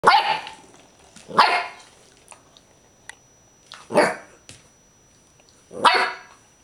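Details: Clumber Spaniel barking indoors: four loud, harsh barks spaced about one and a half to two seconds apart, with a few faint knocks between them.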